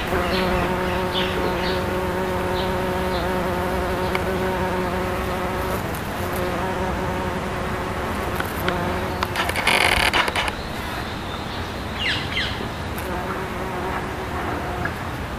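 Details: Bumblebee of the species Bombus ignitus sipping azalea nectar, May 2012; an even, humming wingbeat drone with stacked harmonics, briefly joined by a short noisy rustle midway before the steady buzz carries on.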